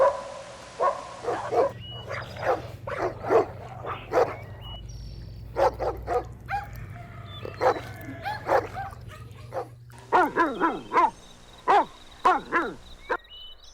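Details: Energetic puppies compete for a toy with their mother outdoors, giving rapid high yips and barks, many per second, with some rising squeaky whines near the end.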